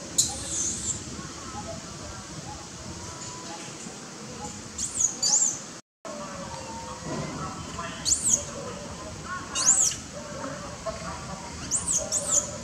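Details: A hungry baby monkey cries and screeches loudly for milk while its mother seems tired, giving piercing, thin, high-pitched squeals in short rising-and-falling bursts every couple of seconds, with faint rustling and murmuring between cries.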